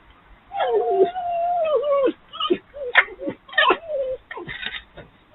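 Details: Three urban red foxes playing at night, a frolic sparked by the arrival of the dominant fox, give a long whining note, then a run of short yips, whimpers and squeaky chatter.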